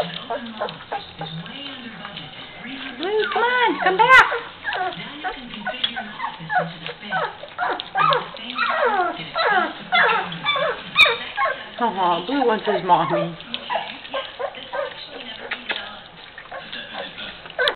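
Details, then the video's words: Mastiff puppies from Wild West Mastiffs, 2013, indoors: a stream of high, rising and falling squeaky whines and whimpers from several pups overlapping, with human voices talking beneath. "Mushy Puppies"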